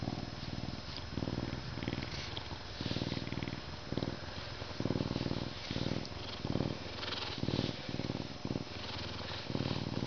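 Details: Captive Canada lynx purring steadily: deep, pulsing rumbles in rhythmic phrases of about half a second to a second, alternating with short quieter breaths, repeated throughout.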